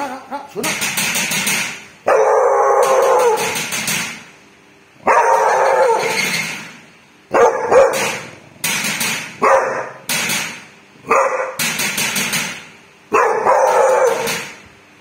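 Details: Dog barking at a thief: loud, harsh, broadband barks delivered in bursts of one to two seconds, roughly eight bursts across fifteen seconds with short quiet gaps between them.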